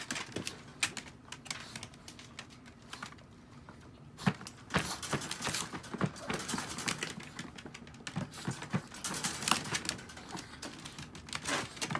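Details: Dense irregular tapping and clicking, like typing on a keyboard, fills an indoor room, with no animal voice.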